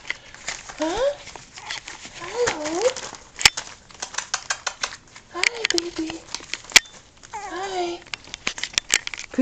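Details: Toy Poodle puppies, four girls 6 1/2 weeks old: two black and white parti color, one black phantom, one all black. Four short whiny yelps that rise then bend down, spaced a couple of seconds apart, amid soft talking, rustling and sharp clicks.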